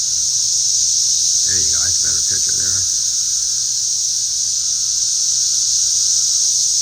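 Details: Many cicadas flying around and calling loudly, one flying into a face; their steady, high, hissing drone fills the whole recording, while a man's voice speaks briefly near the middle.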